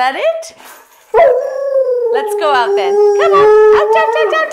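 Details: A female Alaskan Malamute from a line of singing dogs, howling her song: a few short rising yelps, then a long, steady, rich-toned howl that wavers slightly and breaks into shorter sung notes toward the end.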